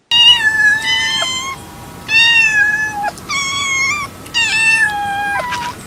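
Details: Cats meowing: a series of four long, high, steady meows with rich harmonics, some slightly falling at the end, over a faint background hiss.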